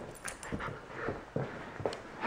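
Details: Male Corgi puppy unhappy with his new collar, indoors; soft whimpers and pants in short pulses, ending in a louder squeaky whine.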